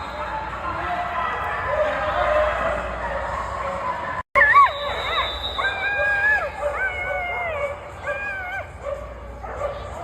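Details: A female dog vocalizes while watching flyball. Background noise opens the clip, then after a brief dropout come high, tonal whines and yips that rise and bend in pitch, repeated in short bursts.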